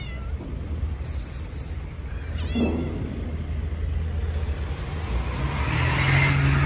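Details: Hungry stray cats offered food by hand, with one short wavering meow midway through, backed by constant low rumbling noise and a burst of high chittering early on.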